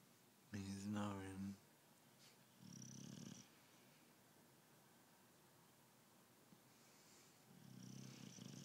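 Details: Sleepy British Bulldog Tyson snoring in a small room: a person speaks briefly, then two short, low, rattling snores follow with quiet breathing between them.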